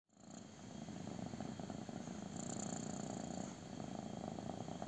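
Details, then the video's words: Kitten purring intensely while getting a belly rub: a continuous low rumbling purr that swells in loudness over the first second, then holds steady with a fine pulsing texture. "CUTE KITTEN LOVES BELLY RUB! | INTENSE PURRING"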